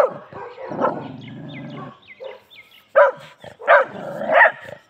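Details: Labrador Retriever kept as a pet, acting aggressively: a deep growl gives way to a few sharp barks, then three loud, forceful barks close together near the end.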